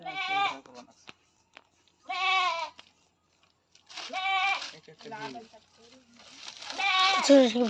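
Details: Goat being handled for artificial insemination, bleating several times in short wavering cries with a quivering pitch, while people talk nearby between and over the calls.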